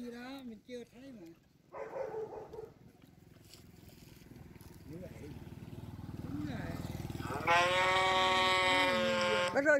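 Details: Cow sounds: voice-like murmurs and a low rumbling background come first, then one loud, steady moo of about two seconds near the end.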